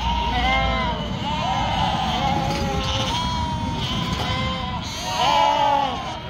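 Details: Sheep kept in northern Spain, yearling females separated from the ewes, give drawn-out wavering bleats, several at once, with a steady low hum beneath and a louder cry near the end.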